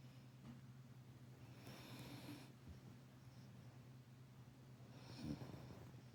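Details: Labrador Retriever mother dog lying stacked on top of her puppy, snoring: low rumbling breaths with a steady low hum underneath, a brief louder snort near the end, indoors.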